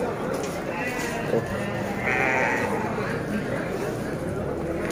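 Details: Garut sheep at Tanjungsari market, a livestock market: a wavering bleat around two seconds in over a dense crowd murmur and constant background noise, with talk nearby.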